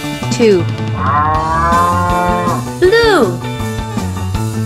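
A cow gives drawn-out, rising and falling moos over steady background music.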